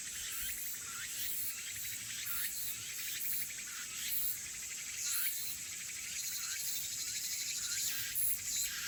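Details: Haenam crickets and cicadas: rapid pulsed chirping trills arrive in bursts roughly every second or two over a constant shrill high-pitched drone.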